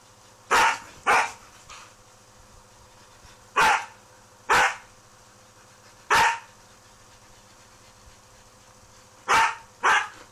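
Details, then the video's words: Pet Husky in vocal conversation with a mixed-breed housemate, a hidden Labrador also chiming in; seven short, loud, harsh bark bursts, some in quick pairs, with quiet gaps of one to three seconds between them. "Noisy Husky"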